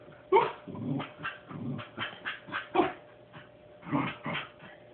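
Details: Puppy named Thor at home, 'asking' for a stuffed teddy bear placed too high for him to reach: sharp yipping barks near the start, middle and end, with a woman speaking Portuguese and coaxing him in between.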